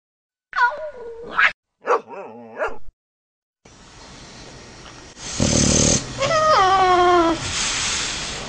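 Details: Sleeping dogs snoring and making funny sounds: two bursts of high, wavering whimpering cries early on, then raspy, noisy snore-like breathing that grows louder, with a drawn-out falling whine partway through.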